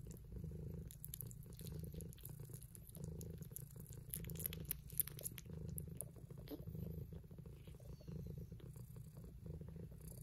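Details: Kittens purring with pleasure while eating: a steady low rumbling purr pulsing in long rhythmic waves, with faint clicks and chewing noises scattered over it.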